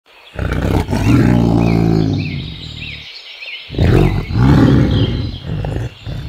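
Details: White tiger giving two long, deep, rumbling roars, the first lasting about three seconds and the second following after a short pause, with faint chirping bird notes above.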